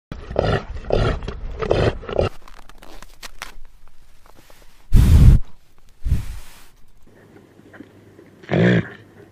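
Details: A reindeer at a zoo gives low, throaty grunts in a quick run of pulses, then a pause, followed by harsher, breathy snorting bursts at irregular intervals with faint background noise between.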